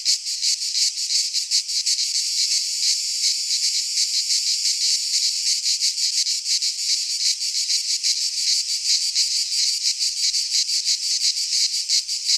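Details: A sustained rasping drone from cicadas in a midsummer Greek pine forest, high and intense, beating in rapid regular throbs for the whole stretch, with no other sounds.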